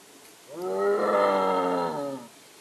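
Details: Striped hyena in India gives a single drawn-out, harmonic, wavering moan of about two seconds, rising slightly then falling away, against a quiet background.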